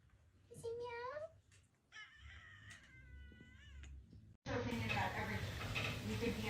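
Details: Domestic cat giving two drawn-out meows indoors, the first rising then falling, the second longer with a wavering, bending tone, followed by a person talking loudly close by.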